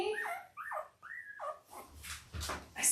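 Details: Newborn Labrador Retriever pups, five days old, from a Christmas-named litter of five males and three females: three thin, arched squeals in quick succession, then soft rustling and a muffled voice.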